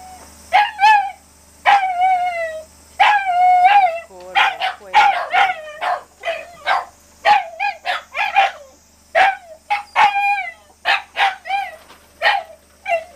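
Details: Shiba Inu crying in long series of piercing yelps and several sustained, bending howl-like whines, the bursts coming quickly one after another over a low background hum.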